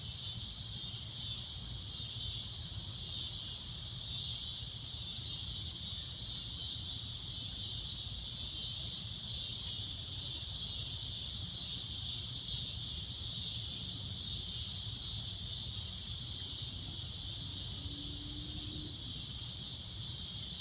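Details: Cicada at golden sunset giving a loud, shrill, continuous drone, a steady high band that never breaks for twenty seconds, over low rumbling background noise.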